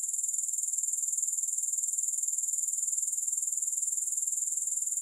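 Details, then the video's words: Continuous, very high grasshopper stridulation without music: an even, sizzling buzz pulsing rhythmically about four times per second throughout, with no other sounds. "Grass Hopper Sounds"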